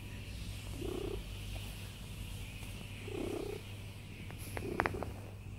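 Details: Cat lying down, its quiet purr surging in three short low swells over a steady hum, with a few sharp clicks near the end.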